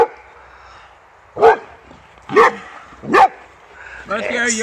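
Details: Boxer dog named Rex, reunited with an old friend he first met a year earlier and at first finds strange, gives three short, sharp barks about a second apart, then a human voice begins speaking at the end.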